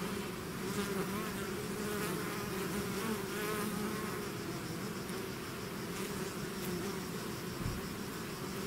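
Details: Many bees of a swarm leaving their hive buzz at once, a constant, layered hum with faint wavering overtones, and a brief low thump near the end.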